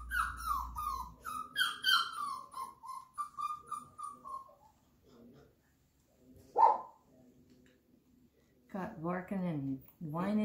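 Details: Flat-Coated Retriever puppies, 34 days old, indoors during clicker training: a run of high, falling whines about every half second, then a single sharp click, then a few short yelping barks near the end.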